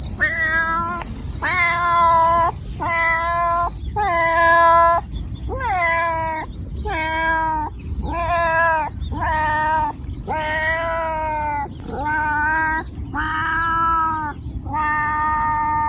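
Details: Domestic cat meowing in a steady series of drawn-out, harmonic-rich meows, about one every second or so, each fairly level in pitch with a slight rise and fall, over a low background rumble.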